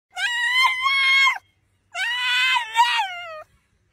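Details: French Bulldog talking: two long, loud, high whining howls, each about a second and a half, with a wavering, slightly rising tone and rich overtones, separated by a short silence.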